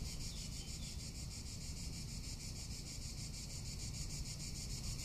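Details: Summer in Tuscany, where cicadas keep up an unbroken high, vibrating drone with rapid rhythmic pulses, partly blurred by gusty low wind noise.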